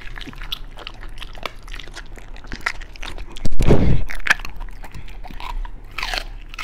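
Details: Beagle biting through raw food, perhaps chicken drumstick or rabbit kidney, from a meal that also included pork liver and pumpkin jelly; quiet chewing, then a loud crunching bite lasting about half a second, followed by lighter crackly chews.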